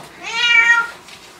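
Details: Pet cat greeting its returning owners with a single clear meow, rising then falling over about half a second, in a quiet indoor room.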